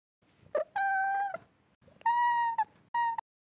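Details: Domestic cat, kittens filmed close-up, giving three drawn-out meows of steady, level pitch, each roughly half a second long with short pauses between, preceded by a brief higher squeak; faint clicks mark the start and end of each call.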